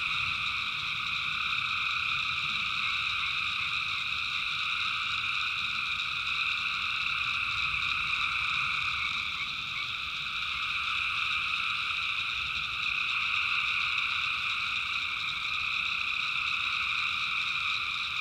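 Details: Tree frogs call together at night in North Carolina backwoods swamp, a thick, unbroken chorus of high, rapid trills blending into a steady shimmering drone, voices overlapping too closely to pick out, with faint insect buzzing.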